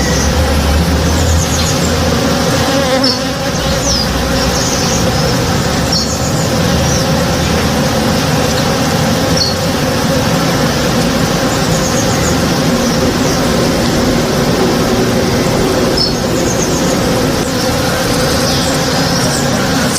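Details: Honey bees working a blooming tree in a home backyard one morning: a steady, dense droning hum from many bees fills the whole stretch, with brief high bird chirps breaking through now and then.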